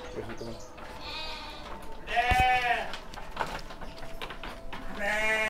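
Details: Rams about seven months old at a farm in Sidomulyo, Kediri, Indonesia, with a loud quavering bleat midway, softer bleats before and after, and a low background hum.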